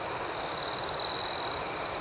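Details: Crickets at night, with one loud, steady, high-pitched trill swelling in the middle second over a softer continuous background chorus of other crickets.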